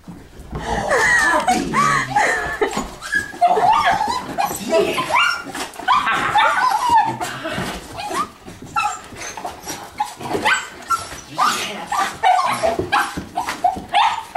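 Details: Two pet miniature schnauzers, a grey four-year-old and a black one-and-a-half-year-old, excitedly greeting their owner home from a twelve-month deployment: rapid high whimpers, yips and squeals in busy overlapping bursts, with a man talking softly to them.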